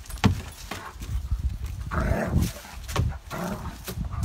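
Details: Two dogs at play, Winnie, a 35 lb one-year-old spayed female, with Ike: loud, throaty growls and grumbling snarls run almost continuously, with sharper huffs and scuffling thumps between them.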